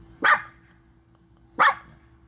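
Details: Two crisp, high-pitched yaps from a Chihuahua, more than a second apart, over a faint steady hum; part of a compilation of angry, happy and crying Chihuahuas.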